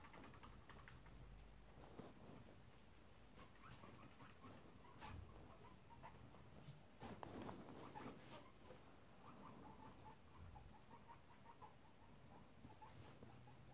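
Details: Guinea pig boars Shep (tri colour) and Chunk (black/brown) disagreeing beside the sows' cage; sharp clicking chatters and taps scattered through, with brief faint squeaky notes and a steady low indoor hum.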